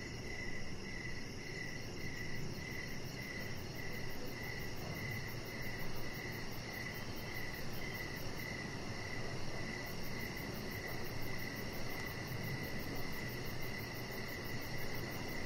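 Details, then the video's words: Evening crickets heard from a deck where a chihuahua puppy rests: continuous rapid high chirps in an even rhythm, with a fainter higher pulsing and a steady background rumble. "Cricket Sounds"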